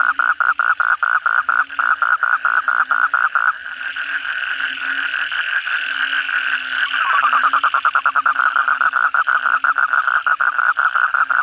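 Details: Chorus of kodok bangkong, Asian common toads, at night following heavy rain: rapid pulsed croaking, then a few seconds of blended trilling drone, then sharp pulsed croaks returning, with a low hum throughout.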